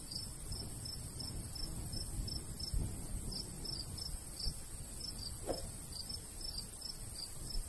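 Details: Crickets in summer countryside by a golden wheat field, giving short high chirps in quick, steady pulses over a low rumble of light breeze, with a faint brief sweep near the middle.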